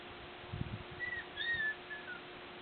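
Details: Border Collie puppies of the Nell x Skeet litter, April 8 2016, out and about learning to climb stairs; thin high whimpering whines, gliding and wavering over about a second, after a few soft low thumps, over a steady hiss.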